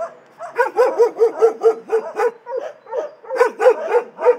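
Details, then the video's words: Shelter dogs barking: a quick run of loud, harsh barks about four a second, a brief pause, then another fast burst, several voices blending in a reverberant space. "Szczekające psy w schronisku"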